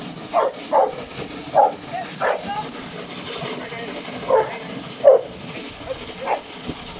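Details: Hektor, a Giant Schnauzer (Uran von Elberfeld), working in an AVD 2020 Bronze class entry, gives seven short, forceful barks at uneven intervals of roughly half a second to two seconds, over a low outdoor background.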